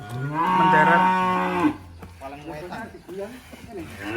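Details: A black sacrificial cow being unloaded from a truck at a rural pen gives one strong, steady, harmonic moo lasting over a second, followed by men's voices and background music.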